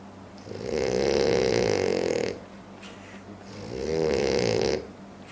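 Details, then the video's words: A sleeping French Bulldog snores loudly, each long rasping breath rattling for nearly two seconds. "French Bulldog Sleeps Like A Demon (Loud Snoring)"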